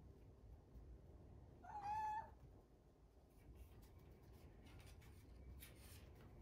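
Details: One clear, level, slightly nasal meow lasting about half a second from Rucola, a one-year-old rescued grey-and-white tabby cat, demanding attention from her owner inside a quiet room; faint handling rustles follow.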